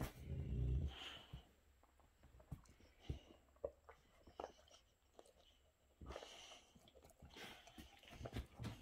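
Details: Boxer dog, indoors, irritated by a younger dog while enjoying a special treat: a brief low rumbling growl at the start, then quiet scattered clicks, rustles and soft thumps.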